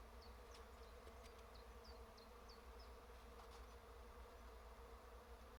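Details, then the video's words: Many bees humming in trees: a thick, steady drone underneath, with a bird's short, high downslurred chirps repeated about every third of a second in the first three seconds. "Дерева гудуть!"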